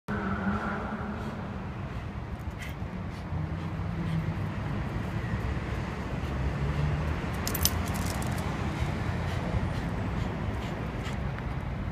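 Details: Road traffic rumbles steadily on a city street with jangling keys and brief faint speech, but no animal calls.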